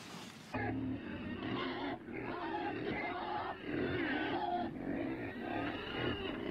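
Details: Pig giving a run of harmonic, nasal grunts and short squeals that overlap almost continuously, with brief dips between bursts.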